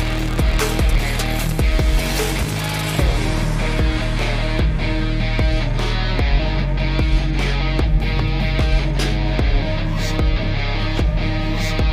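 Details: Loud, dense band music with heavy drums and cymbal crashes throughout, and no animal sounds.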